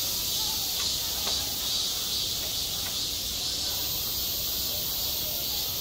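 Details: Cicadas calling on a hot summer day at a school playground: a constant high shrill drone with slight swells in strength, plus a few faint knocks in the background.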